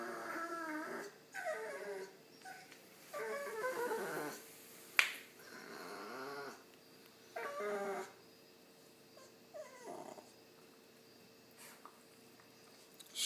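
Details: Pet dog of over five years wandering about the home, making strange pained-sounding vocalizations while wagging his tail, seemingly trying to communicate; wavering whines and groaning moans in bursts, one sharp click midway, fading to quieter whimpers with a faint hum behind.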